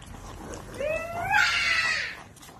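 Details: French Bulldog mother mobbed by ten puppies, her own five and five belonging to another female; a nasal whine rises in pitch and turns into a brief raspy squeal over steady background noise.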